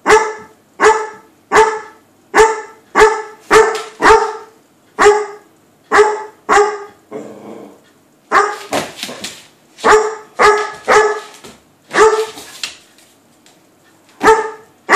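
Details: Weimaraner barking playfully at a cat behind a door: a rapid run of clear, tonal barks roughly every half second, a short break with a softer grumble, then more barks mixed with scraping noise.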